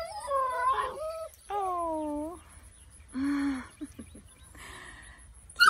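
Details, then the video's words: Eight-week-old Kelpie/Border Collie mixed puppies whimper and howl in drawn-out, wavering whines, several overlapping, with softer yelps between and faint background noise. "8 week old Kelpie/Border Collie Puppies"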